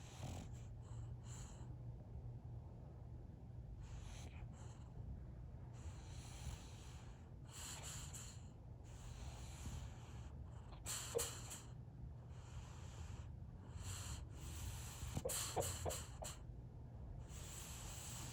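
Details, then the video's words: A sleeping male French Bulldog snores in rough, rasping snorts while dreaming, with a few muffled sleep-barks breaking through. "French bulldog Winston is snoring and barking asleep"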